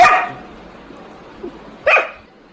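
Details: Labrador Retriever barking twice, a sharp bark at the start and another near the end after a quiet pause, both short and bright.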